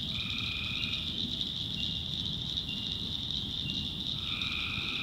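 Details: In nighttime North Carolina backwoods, a tree frog delivers a short, even droning call, then another begins after a few seconds' pause. High insect buzzing fills the background.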